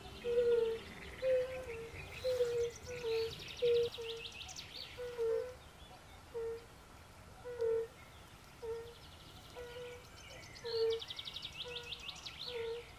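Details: European fire-bellied toads calling by a forest pond, brief melancholy hoots repeated from several animals, dense at first then spacing out, accompanied by bursts of rapid bird trills and chirps.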